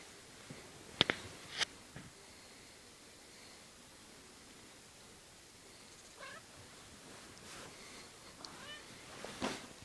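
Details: Odie, a pet cat being fondled and teased indoors, gives a few faint, short meows with rising and falling tones, spaced several seconds apart, amid quiet rustling and handling noises.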